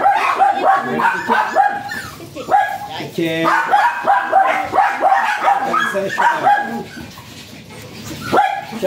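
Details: High, shrill yaps from a Japanese Spitz at a stud service in Aringay, La Union, fired off several times a second in uneven runs, with a brief squealing note near the middle and the pace easing toward the end.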